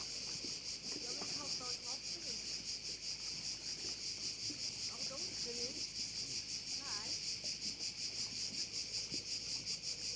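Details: On Korčula, Croatia, crickets fill a bay with a constant shrill, pulsing buzz from many insects at once, while faint, wavering lower tones drift in and out beneath the chorus.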